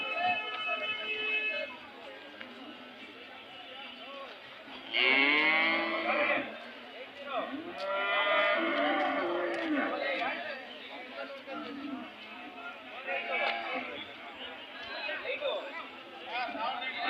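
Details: Cattle mooing at the weekly Monday cattle fair at KG Temple, Gubbi taluk, Tumkur district, Karnataka, India; a loud drawn-out moo with curving harmonics, then more lowing, amid crowd chatter, people bargaining and music.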